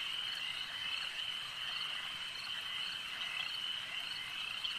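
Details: Frogs calling at a lake, a dense unbroken chorus of high trilling voices blending into one steady shimmering band with no pauses, many callers overlapping, and no other sounds standing out.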